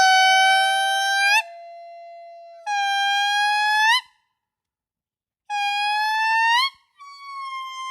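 An indri gives long, steady, horn-like wails, each note swelling and flicking upward at its end.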